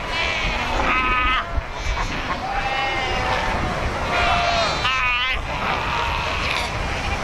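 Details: Cape fur seals at Cape Cross, Skeleton Coast, where over 100,000 gather by the ocean rocks; drawn-out quavering bleats stand out over loud surf and wind noise, with more calls from the wider colony.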